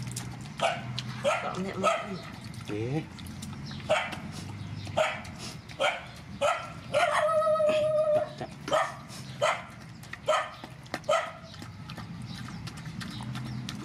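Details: At feeding, rescued mother dogs and puppies bark in a steady series of sharp calls with brief gaps. Partway through, a drawn-out whine holds level for about a second. More barks follow, with quiet voices and a low hum beneath.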